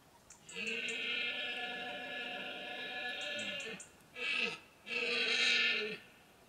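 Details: Roaring red deer stag heard in the autumn berrea rut, Sierra de Villarrubia de los Ojos del Guadiana, Montes de Toledo, Spain: one loud, long, harmonic roar lasting over three seconds, then two shorter bellows, over faint high chirping.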